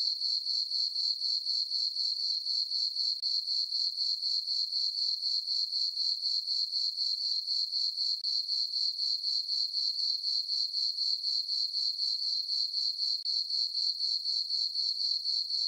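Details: Summer-night crickets in a moonlit farm meadow keep up a continuous shrill chirping, bright high pulses repeating roughly four per second with machine-like regularity; nothing else is audible.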